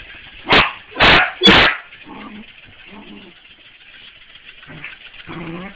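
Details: A corgi playing with a mechanical ball lets out three loud, rapid barks, then lower grumbling growls and whiny huffs, with a constant mechanical whirr behind.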